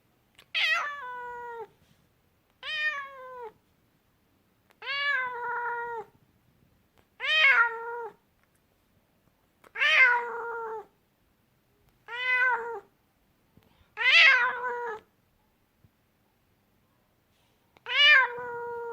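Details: An angry domestic cat indoors gives a steady series of eight loud, harmonic meows, each rising sharply then sliding down into a drawn-out, wavering tail, spaced roughly every two to three seconds in an otherwise quiet room.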